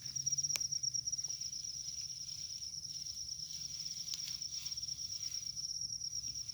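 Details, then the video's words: Rice-field cricket giving a continuous shrill trill on one high pitch that holds throughout. Soft footsteps, shuffling and low background noise come from people searching the field to catch it. "suwara jangkrik sawah"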